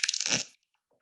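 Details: A bat in Copenhagen, a species heard there every night, shifts from searching echolocation clicks into a rasping feeding buzz as it closes in on prey, clicking at up to 200 per second.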